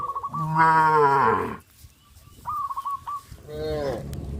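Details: Cows walking toward green grass fields on a traditional village farm give two moos: a long, strong, low one, then a shorter one about two seconds later. Quick repeated bird chirps fill the pause between them.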